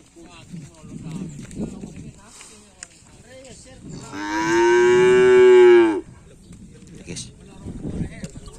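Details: During karapan sapi bull race practice on the Asemanis field, Pamekasan, one cow or bull lets out a loud, sustained moo of nearly two seconds, with murmuring voices before and after.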